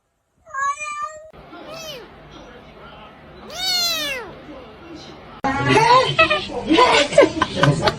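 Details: Cat meowing: a short high mew, then two longer drawn-out meows that rise and fall, followed by loud laughter and talking from people indoors.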